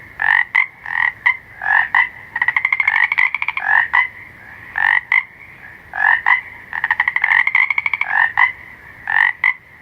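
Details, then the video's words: Frogs croaking at night, short nasal notes paired with clicks repeating rapidly, mixed with two stretches of fast pulsed rattling trills; faint steady hum underneath. "SOM DO SAPO COAXANDO – FROG SOUNDS AT NIGHT"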